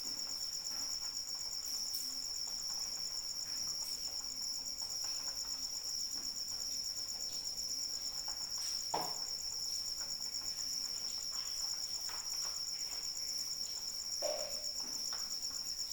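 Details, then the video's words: Cricket singing through rainfall, an unbroken shrill pulsing trill held at one pitch, with a hiss of rain and a few louder splashes or drops. "Suara Hujan dan Jangkrik Pengantar Tidur"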